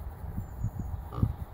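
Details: Vietnamese pot-bellied pig being hypnotised by a person stroking it: soft, very low, rhythmic grunts, several in quick succession within a second or two, with quiet surroundings.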